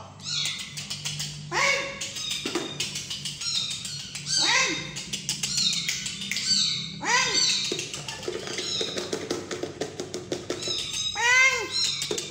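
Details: Tiny kitten being hand-fed, giving a run of arched, wavering meows, roughly five loud cries spaced one to three seconds apart, with clicks and soft human voices in a room behind.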